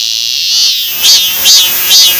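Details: Cicada calling: a dense high hiss with three loud pulsing swells about half a second apart toward the end.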